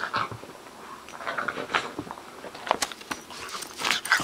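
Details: Play between a two-month-old bulldog puppy and a Boston terrier: a few squeaky whimpering yelps and low grumbles over soft scuffles, then sharp clattering knocks near the end.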